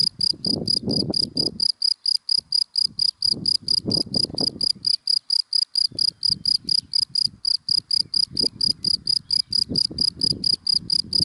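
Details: Daytime cricket calling from dry grass: bright, high-pitched chirps repeated evenly, roughly four each second, with bursts of low traffic rumble coming and going in the background.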